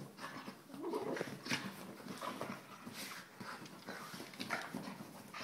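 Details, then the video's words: Quiet rising whine from a Soft Coated Wheaten Terrier, one of the pair Abbey and Zoey, followed by soft panting and scattered grumbles over background rustle. "Soft coated wheaten terrier"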